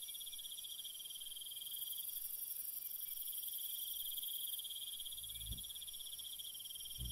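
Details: Steady high chirping of crickets on a peaceful night, the pulsing chorus unbroken throughout, with two soft low knocks near the end.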